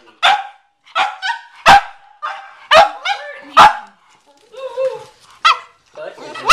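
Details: Cavalier King Charles Spaniel barking at a watermelon in the garage; loud sharp barks spaced about every half second, mixed with a human voice and some whining sounds.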